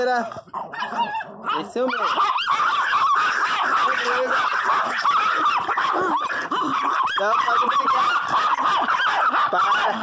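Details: Pinscher dogs including Teco, crying loudly indoors during a jealous spat. Strained, nasal, honk-like whines and yelps pile up rapidly and almost without pause, with a man's voice telling them to stop fighting.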